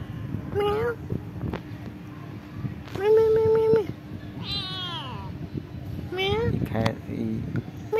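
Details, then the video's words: Cats living at a pagoda meow back while a person talks to them: several meows, one short and rising, one flat and drawn out, one high and falling, with a human voice and a steady background tone. "Meet cute cats again Who live in a pagoda talking "meow meow" with me"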